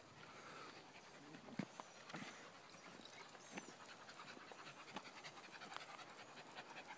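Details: An excited Cairn Terrier pants in quick, breathy bursts with footsteps and faint rustling, on a paved woodland nature trail at Sequoyah State Park, northeast Oklahoma, 16 May 2015, as the sun comes out.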